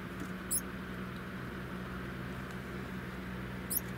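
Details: Cairo spiny mice mating; two brief, very high, thin squeaks, one near the start and one near the end, over a steady low electrical hum and faint rustling.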